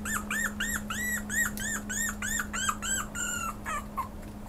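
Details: Pomeranian dog indoors giving a run of about ten high, arched yelping whines, each rising then falling, roughly two per second, fading into shorter squeaks at the end over a steady low electrical hum.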